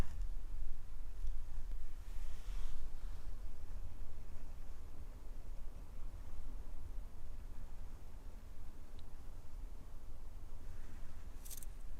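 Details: Near-silent indoor room with only a faint low hum and a few soft clicks, no animal voice.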